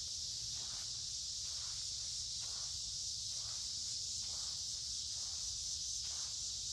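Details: Midsummer woods by a creek on a humid, warm day, filled with a loud, unwavering high hiss of many cicadas; muffled footsteps thud at a steady walking pace beneath the continuous insect drone.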